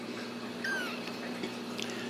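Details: A single clear, high kitten mew falling in pitch rises from a litter of playful, still-clumsy Ragdoll kittens at a central Kansas home cattery, followed by soft rustling and room hum.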